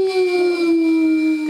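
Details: Otterhounds baying together from the top of the stairs in November 2013, a 3-year-old male with a soft bay and a 1-year-old female soprano: one steady, pure, sustained howl, sliding slightly lower toward its end.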